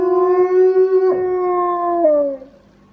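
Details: A pet wolfdog kept at home, noted for its odd voice, holds a steady, level howl. The tone has two small breaks, and the final one slides the pitch down before the sound fades out.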